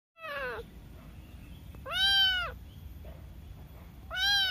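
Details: Cute kitten meowing: three clear, harmonic meows, the first short and falling, the next two longer and arched, spaced about two seconds apart over a low steady background hum.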